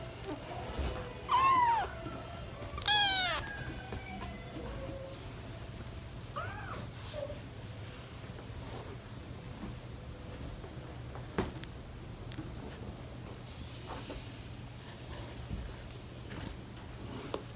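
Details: British Shorthair kittens, four babies almost five weeks old, playing and running around while parents Ted and Chloe watch; two short rising-falling meows early on, a fainter mew later, then quiet room noise with small knocks.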